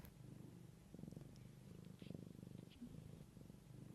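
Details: Mother cat tending her kittens, purring softly: a low, steady, rapidly pulsing rumble that swells and fades in rhythmic breaths across four seconds, with faint clicks above.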